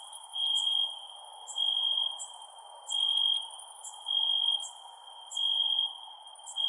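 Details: Crickets calling at night, a bright high trill swelling in bursts about every second alongside a higher, regularly spaced ticking, over a gentle background hiss.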